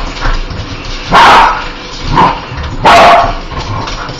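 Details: Dog that hates spiders, barking: three loud, harsh barks at irregular spacing, about a second apart, with quieter background noise between them.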